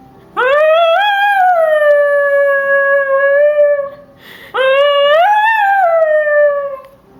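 A miniature schnauzer gives two long, tuneful howls that swoop upward and then hold steady.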